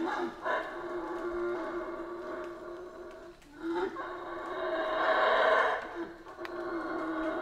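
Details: Howler monkeys in the Central American rainforest, a sustained rough roaring chorus with strong harmonic bands, swelling and fading in waves, loudest near the end.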